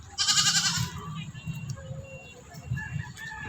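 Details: A neighbour's goat being offered food gives a loud, harsh, wavering bleat lasting under a second, then falls quiet while Tagalog-speaking voices and soft background noise continue.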